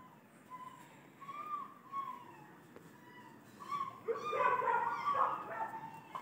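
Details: Puppy crying outside a home: thin, tonal whines that rise and fall, coming in short drawn-out notes, then swelling into a louder, harsher string of cries in the last two seconds.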